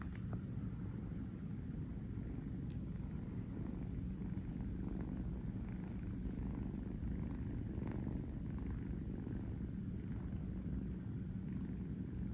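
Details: Kurt, a kitten living in New York with his brother Gunther, purring while napping on a fuzzy bed; a steady low rumbling purr with fine rapid pulsing runs throughout, with a faint steady hum underneath.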